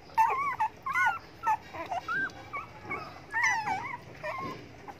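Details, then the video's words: Puppies begging for food whine in wavering, warbling tones, short looping cries that rise and fall in pitch, set against a soft background hiss. "hungry dogs begging for food"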